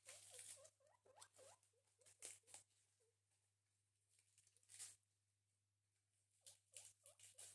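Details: Two guinea pigs at breakfast: short, low squeaks bend up and down in quick runs, falling quiet and returning near the end, amid crisp crunching and rustling from chewing.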